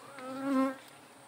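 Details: Wild giant honey bee (dorsata forest bee) at a small wild nest harvested for its honey; a short, steady, droning hum with strong harmonics swells to a peak and then fades within about a second.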